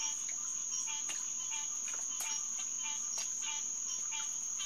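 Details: Hyla cinerea, green tree frogs calling in chorus at SMNWR's Headquarters Pond, June 2, 2021, about 9:10 pm; short nasal notes repeat several times a second beneath a constant shrill insect whine.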